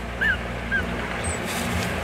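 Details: Newborn Shih Tzu puppies, one of three born to four-year-old mother Chichay, two days after birth, give two short squeaky whimpers that rise and fall, then a faint thin high chirp, over a steady low household hum.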